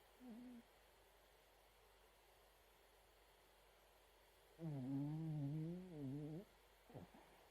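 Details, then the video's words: Snoring Chihuahua dog. A short snore at the start is followed by a long pause. Then comes a drawn-out, wavering, buzzy snore lasting nearly two seconds, ending with a brief snort-like catch. "いびきチワワ(Snoring dog)"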